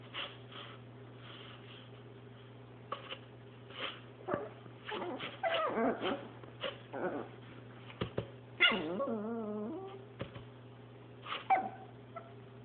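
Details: A Chihuahua at play with a paper towel roll, with scuffling and rustling of cardboard, then a drawn-out wavering whine that rises and falls for over a second before more shuffling. A constant low hum runs underneath.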